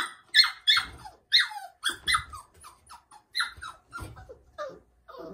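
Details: Labrador Retriever puppy crying on its first night in a cage, indoors in a small room: high squeaky whines and yelps falling in pitch, in quick uneven bursts with brief gaps.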